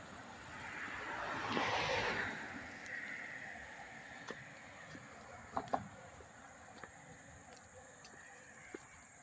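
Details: Up-close cricket chorus in Hastings-on-Hudson, New York, August 13, 2024, a constant thin high buzz steady from start to finish; a car whooshes by early, then scattered light knocks and ticks follow.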